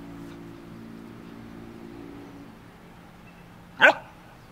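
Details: A stray dog that followed its owner to the sea plays with a crab on the shore, recorded on a Panasonic AG-HMC41E camera: low steady hum, then one sharp, loud single bark near the end.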